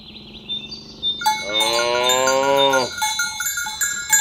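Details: One of many fat village cows being herded to the pen in the morning. A single sustained moo lasting about a second and a half, slightly rising then dropping off, amid jangling cowbells.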